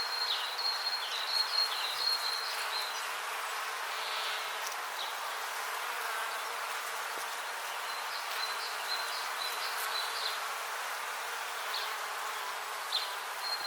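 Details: Bees buzzing outdoors in nature: a continuous, even buzzing wash that hardly rises or falls, with thin, high ticking notes coming and going in short bursts above it.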